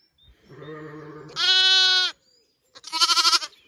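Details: Lambs on an Irish regenerative farm in County Kilkenny bleat as their mothers breakfast: a low murmuring call, then a strong steady high bleat, and after a pause a shorter, trembling, pulsed bleat.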